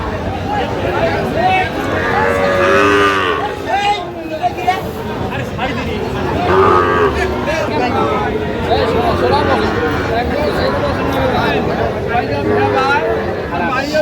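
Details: Sahiwal cattle, young bulls for sale at a busy Bangladeshi livestock market on 23 August 2025: repeated low moos and bellows rise and fall throughout, with crowd murmur and occasional shouted voices behind.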